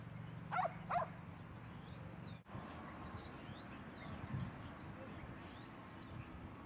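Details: Two sharp barks in quick succession as Rosy and Rocky play at Seal Point Dog Park, followed by quieter outdoor ambience with faint voices in the distance.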